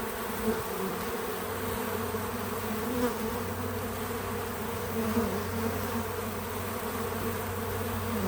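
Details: Several bees at a feeder on a small farm, filmed outdoors, produce a continuous soft drone of overlapping wingbeats. A lower steady hum joins early on and persists, with small swells as individual bees fly nearer.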